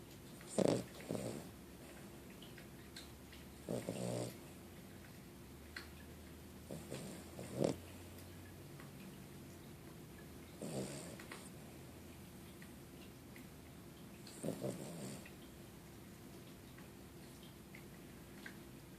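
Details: Sleeping, dreaming puppy snoring: soft, raspy snorts come about every three to four seconds, five clear breaths in all, each a brief noisy burst over a quiet, steady background hum.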